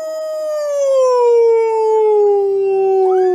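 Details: A loud, sustained dog howl in a funny-dogs compilation, one smooth tone gliding gradually downward over more than three seconds with a brief rising whine near the end.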